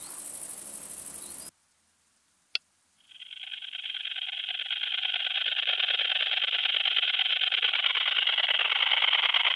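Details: A long-winged conehead sings a continuous, high, hissing buzz that swells gradually and holds steady; recorded at Dreezsee, Germany, including a sunset recording on 21 Aug 2020, with noise removal applied.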